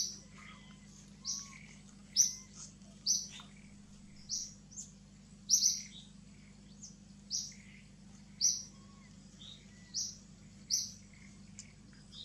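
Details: A baby monkey gives thin, high squeaks about once a second, crying and seizing to call its mother.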